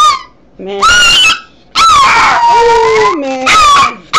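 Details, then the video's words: Yorkshire terrier singing along to sheep bleating: drawn-out wavering howls, some sliding downward, alternating with loud harmonic bleats from the sheep. "The Amazing Singing Yorkie"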